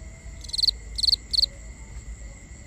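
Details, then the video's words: Crickets at night in a binaural recording: three short bursts of bright, pulsed chirps about half a second apart, each a quick cluster of rapid notes, over a faint steady high whine and low rumble. "Cricket Conversations | Binaural Nighttime Ambience"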